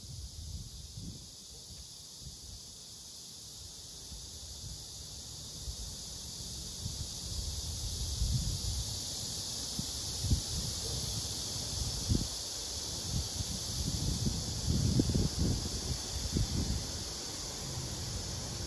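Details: A male blackish cicada, held together with a captured female, gives a steady, high, hissing drone as a serenade, with low rustling and thumping beneath; it buzzes when pressed, as if protesting being disturbed.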